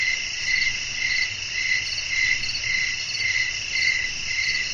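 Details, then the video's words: Crickets singing at night amid natural surroundings and wind, shrill pulsed chirps repeating close to twice per second in a steady rhythm over faint low background noise. "บรรยากาศธรรมชาติยามค่ำคืน เสียงลมพัด จิ้งหรีดร้อง"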